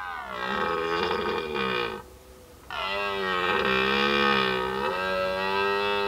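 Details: Red deer roaring during the rut, the mating season, recorded in 2019: two long, powerful bellows of about two seconds each, rich in harmonics. Each one starts with a falling slide and then holds a steady, strained tone, with a short gap between them.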